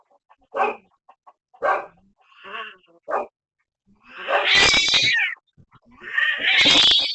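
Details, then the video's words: Cat in an ongoing feud with a neighborhood cat: several short separate growled calls, then a louder, harsher drawn-out yowl and a second rising squall. "Neighborhood Cat always has a beef with orange"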